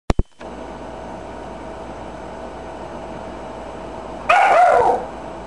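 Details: Motley the dog, playing with a pet budgie indoors, lets out what is described as its first bark caught on film: a single short, sharp bark near the end, after a few soft clicks and a steady background hum.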